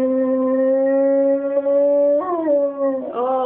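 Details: A male English Springer Spaniel, urged by his owner to sing, gives a long, steady, tuneful howl that wavers and breaks near the end.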